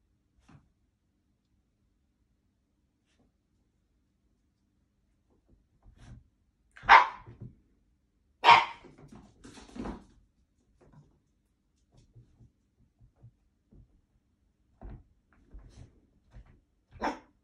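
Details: An Italian Greyhound, described as blue, gives a few sharp, fairly high barks, spaced irregularly a second or more apart.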